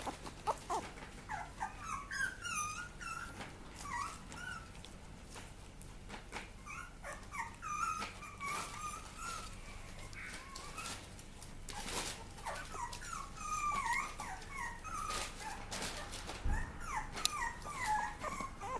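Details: Papillon puppy crying steadily: a long run of high, wavering whimpers, each a brief falling or rising squeal, coming in quick clusters with little pause, over soft background rustles and occasional thumps.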